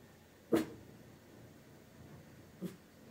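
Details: Lucky, a tiny Maltese dog indoors, barks to defend the house against invisible threats, recorded on a Pixel phone; one short sharp bark, then a softer one about two seconds later, over a quiet room hum.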